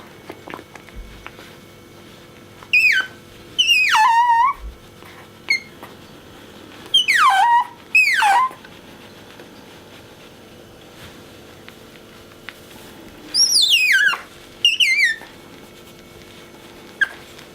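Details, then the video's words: Bingo, a pet otter, squeaks nonstop when shown his orange towel. The cries are piercing and quavering, swooping steeply downward, and come in clusters of two or three separated by several seconds of quiet indoor background. "【カワウソ ビンゴ】キューキュー鳴くのがとまらない(Otter Bingo makes squeaky noise when he see his orange napkin)"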